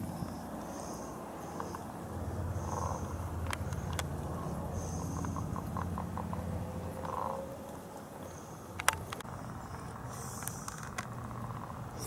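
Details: Leopard frogs calling at a local pond on a sunny day, heard from the land at a distance; faint, soft clicking croaks and short rattling pulse runs scattered through a steady background hiss.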